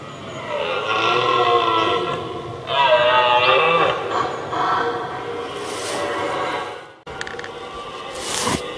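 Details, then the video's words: Red deer stag roaring in 2023, one of two stags that challenged each other from a distance for several minutes before fighting; a series of long, harsh, harmonic-rich bellows of several seconds each, followed by a brief noisy rustle near the end. "Brame et Combat : Brame du Cerf 2023"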